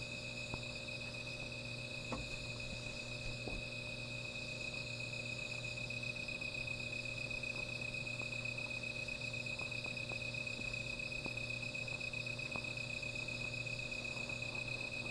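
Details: At night near a small fire, insects keep up a sustained high, even trill with a higher airy shimmer, while scattered crackles and clicks from the fire sound against a low hum.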